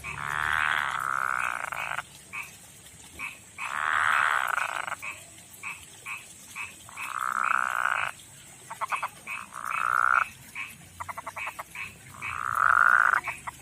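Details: Calling male frog, living in a pond behind a house and in a river, gives repeated buzzing pulsed trills of one to two seconds, answered by quick clicky notes of neighbouring frogs, to attract a female.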